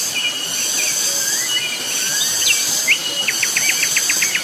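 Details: Cicadas, very loud, on Gunung Pabangbon: a steady, shrill, high-pitched drone runs throughout, with bird chirps, slurred whistles and a quick run of short repeated notes near the end.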